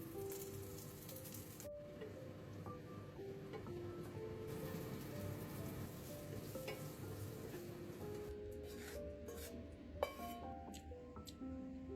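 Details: Gentle music with held and stepping tones runs over a sizzling, crackling hiss, broken by a soft thump near ten seconds.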